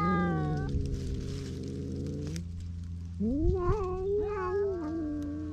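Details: Stray cats on a cat island in Japan fighting over a single fish, recorded on a GoPro: long drawn-out moaning yowls, one steady then a rising, wavering wail, over a steady low hum.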